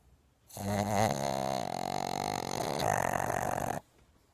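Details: Two sleeping pugs snoring loudly: one long, buzzy, harmonic-rich snore lasting about three seconds, steady in pitch and then slightly shifting, set against a quiet indoor background.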